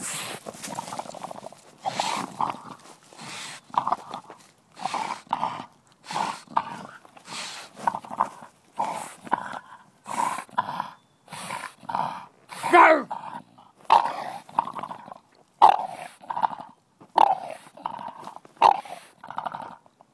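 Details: English Bulldog playing with a basketball in a garden: a rough, grunting growl in short bursts about every 0.7 seconds, steady through the whole stretch, with no other clear sounds.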